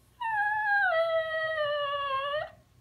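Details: Young male puppy talking back and crying indoors after being told not to bother his older dog brother: one long, drawn-out, tonal whining howl of over two seconds, sliding down, stepping lower, then lifting at the end; quiet room.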